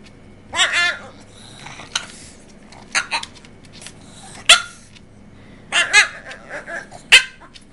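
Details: A Boston Terrier makes wavering, yowling 'talking' sounds while a person questions it, begging for macaroni and cheese; he always begs to lick the bowl after it's eaten.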